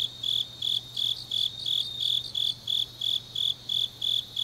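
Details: Autumn night grass insects in Changnyeong, Gyeongnam, Korea, chirping in clear, evenly spaced high pulses roughly three per second, each pulse a short buzzy trill, over a faint steady low hum.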